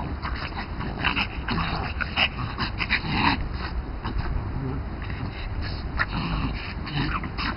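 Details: French Bulldogs, two dogs playing chase in a garden; short snorting, grunting bursts and breathy yips come in quick irregular clusters, with scuffling noise underneath.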